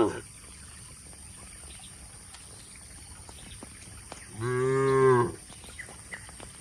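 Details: A single loud, sustained moo from tame cattle being driven to a broad pasture in the countryside. It rises out of a steady low hum and lasts about a second before quiet returns.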